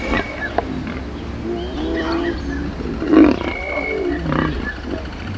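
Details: Lions during a mating ritual, filmed up close, a male keeping others away from the female; low, drawn-out moaning growls rise and fall in several bursts, with a steady low engine-like rumble underneath.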